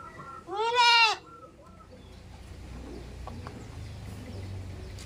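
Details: Goat on a village farm giving a single loud, harmonic bleat about half a second long with a wavering, slightly arched pitch, followed by quieter low rumbling background noise and faint distant sounds.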